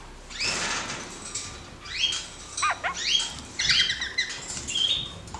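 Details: A caged pair of kakariki, given more room and playing acrobatically; short whistled chattering notes, some rising and falling, with scattered clicks and rustling.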